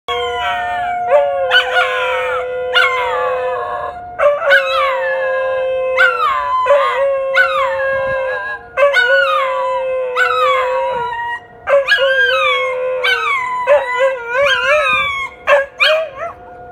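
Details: An English Shepherd and a Wire Haired Fox Terrier howl in repeated wavering, falling notes over a steady emergency siren tone, as they always do when sirens are tested.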